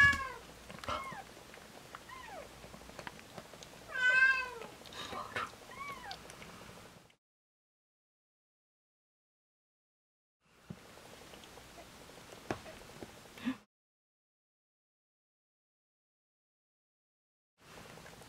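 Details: Newborn kittens of a domestic cat named Hodu, on the day they were born, the firstborn named Waung; high, thin wavering mews in quick bursts over the first seven seconds, a soft human exclamation, then long quiet gaps.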